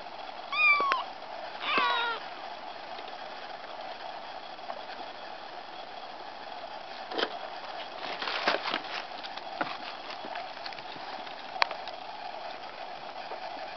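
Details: Mother cat, snatching back her kitten while it is being weighed, with two short high harmonic meows early on, then quiet handling noises, soft clicks and thumps over a steady room hum.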